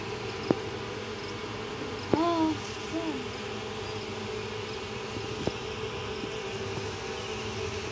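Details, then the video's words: Swarming honey bees, the old queen leaving with thousands of workers to seek a new home. A steady low hum fills the recording. A sharp tap comes first, then a brief whistled call with harmonics near two seconds and a softer one after. "طرد نحل العسل expelling honey bees"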